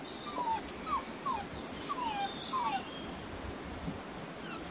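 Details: Six-and-a-half-week-old Beauceron puppies from a working-line litter, Loché x Novillo, in their new pen on 27 May 2019, giving five thin, high whimpers that slide downward, spaced about half a second apart over steady background hiss.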